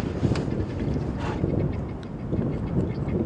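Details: Heavy wind buffeting the microphone and a vehicle rumble, with faint speech and no animal sound audible.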